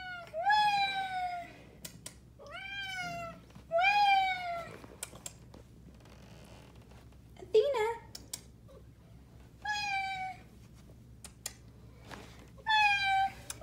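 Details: Athena, a black pet cat, talking to her owner indoors: a series of drawn-out, bending meows about two seconds apart, some rising then falling, with a person's voice and light handling noises between calls.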